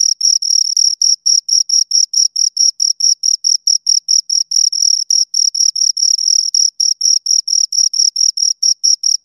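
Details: Two crickets chirping: a steady run of short, shrill, high-pitched pulses, about four per second, with a fainter higher overtone above each one. Nothing else is heard, and the background is silent between pulses.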